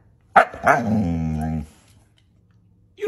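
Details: A male pet Siberian Husky interacting playfully with his owner: two sharp barks, then a sustained, steady harmonic howl of about a second. It ends abruptly, followed by quiet and the start of a man's voice.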